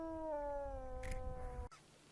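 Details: A wolf, shown roaming freely across the open steppe, gives a smooth, harmonic howl that holds steady and slides gently downward for under two seconds before cutting off abruptly, with a brief noisy rasp partway through.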